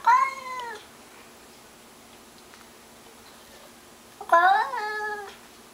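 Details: Mr Mittens, a domestic cat upset by a stray prowling the bushes outside, lets out two long, sustained meows about four seconds apart. Each is rich in harmonics and slowly falls in pitch, with quiet between them.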